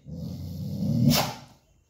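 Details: Dog growling low and steadily, swelling into a brief sharp bark-like burst near the end before falling silent.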